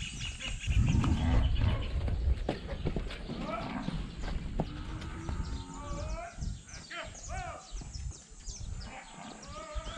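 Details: Quarter Horse foal, shown growing from five days to five months old, with cattle running close by and the animals somewhat frightened; a series of wavering, quavering whinny-like calls rise and fall, over low rumbling movement and a person talking.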